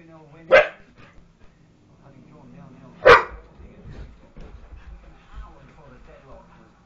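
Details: Pet dogs wrestling in play give two sharp, isolated barks about two and a half seconds apart, with soft shuffling and low voices between.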